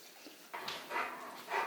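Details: Bruno the Rottweiler at Christmastime, hunting for his presents, lets out three short rough vocal bursts spaced about half a second apart in a quiet room.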